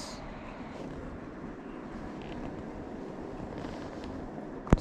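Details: Steady low rumble of distant traffic or machinery with faint indistinct voices and a sharp click near the end; no animal sound is heard.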